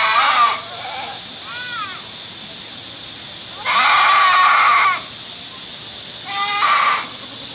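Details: Goat bleating in four wavering, nasal cries: two short ones, then a longer, louder bleat of over a second, then a brief final call. A steady background hiss runs throughout.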